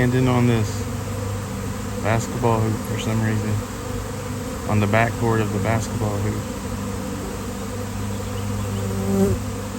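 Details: Honeybee swarm on a nice-weather day, before a beekeeper rescues the bees; a constant low droning hum runs beneath repeated bursts of people talking nearby.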